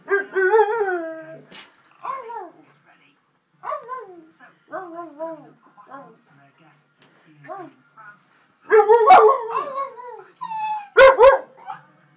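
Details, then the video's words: Two dogs, a jug and a husky, howling together: a series of drawn-out, wavering, falling howls with short pauses between them, ending in louder overlapping cries. "jug and huskey howling together"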